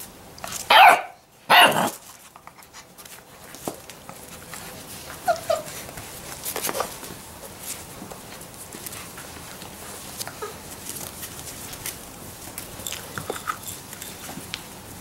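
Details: Labrador Retriever puppies at six weeks old give two loud, harsh barks in quick succession, followed by soft scattered squeaks and faint whines over low background rustle.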